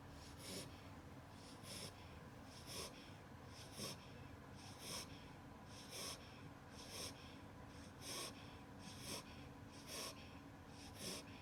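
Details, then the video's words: Wolfie, an 8-week-old Beagle puppy, asleep indoors in a superman pose, snoring softly: airy, wheezy snorts repeating about once a second in a steady rhythm, over a faint constant room hum. "Baby beagle snoring in his sleep"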